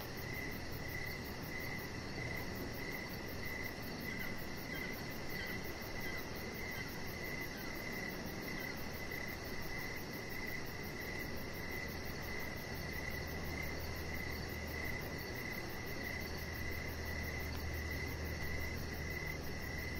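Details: Evening cricket ambience outdoors on a deck, a nearly continuous high pulsing trill of chirps throughout, accompanied by steady low background noise and a faint low hum late on.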